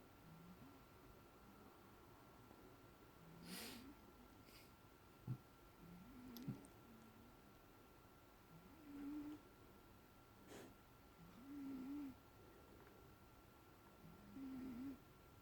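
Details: Toby, a 16-year-old male house cat, snores softly indoors during sleep after a restless day: faint low nasal whistles and buzzy breaths recurring roughly every two to three seconds, with a few soft clicks and a quiet background hum.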